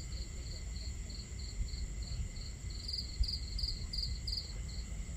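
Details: Night cricket chorus near a campfire and water: evenly spaced high chirps about three per second, a second louder caller joining midway, under steady low crackle and flowing water.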